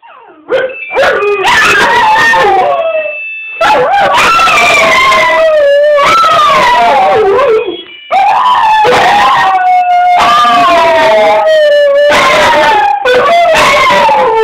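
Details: Two dogs, one small and one bigger, howl wildly in response to an irritating phone ringtone, competing with each other; long wavering howls sliding up and down, overlapping, with the electronic ringtone tones audible beneath and brief pauses between bursts.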